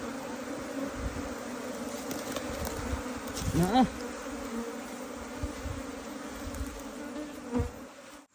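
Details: Asian honey bees in a colony taken out of a canal, a constant humming drone of the swarm with a brief voiced sound near the middle and a few light knocks.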